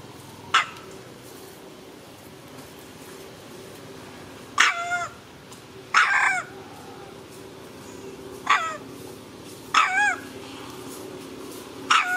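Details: Monkey mother Handa crying after a young monkey grabs her baby Handy; short arched, harmonic shrieks come in bursts every one to two seconds, six outbursts over a low steady background hum.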